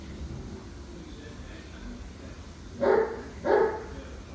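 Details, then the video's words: A dog barks at a beetle, two sharp barks about half a second apart near the end after a quiet, hissy lead-in. "Dog barks at Beetle for minute"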